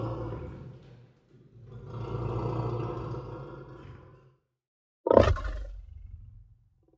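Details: Lion roaring: a long, low rumbling roar swelling and fading over about three seconds, followed after a pause by a short, sharp, loud burst that trails off into a low growl.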